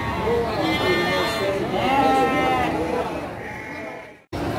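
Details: Garut ewes at the Andir livestock market in Garut on 5/4/2021: overlapping trembling bleats, one higher and one lower, rising and falling, then fading before a brief cut, with background talk throughout.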